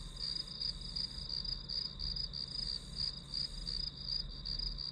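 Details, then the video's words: High, rapid pulsed chirps from grass insects, used as study white noise, repeat evenly about three times per second against a soft low rumble. "풀벌레 소리"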